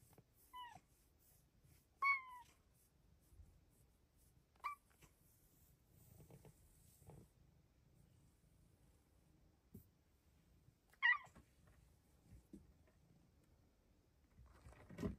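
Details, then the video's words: Luxe, a female house cat, chirps in joy while petted on her closet petting shelf in the morning: short bright upward-flicking chirps, four spaced a few seconds apart, with quiet rustling and handling noises between them indoors. "Closet kitty chirps and meows in joy!"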